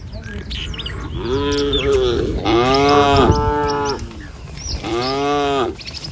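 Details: Herded village cows move slowly in single file across a wooden bridge to fresh grazing. Three loud, rich moos rise then fall, the middle one longest, with faint chirping birds in the background.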